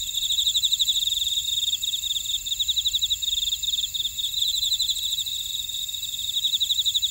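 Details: Grass insects singing in a buckwheat field at Oradong on Jeju Island, South Korea: a continuous shrill ringing with brisk pulsed trills running steadily, broken only by a short dip near the middle.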